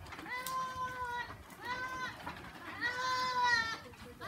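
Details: Farm goat giving three drawn-out bleats, each steady and tremulous, about a second apart, the last one louder and longer, over a faint background murmur.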